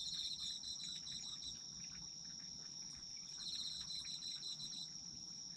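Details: Autumn insects singing together: high, continuous ringing trill with rhythmic pulsed chirps fading in and out, steady and soothing, light low-frequency background noise.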